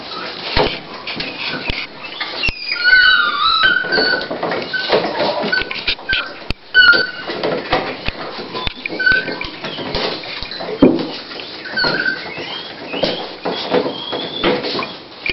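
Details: Female Toy Pinscher named Dolly at the start of giving birth to her puppies, 28 October 2012. High, thin squeaky whimpers come in short sliding bursts, some rising and falling, with quiet pauses between them, over rustling and soft clicks.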